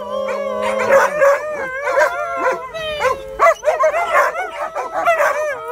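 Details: Two dogs, a shepherd and a husky, howl together in a wavering, warbling duet. Rapid up-and-down pitch bends overlap a sustained steady howl, with a brief low hum at the start.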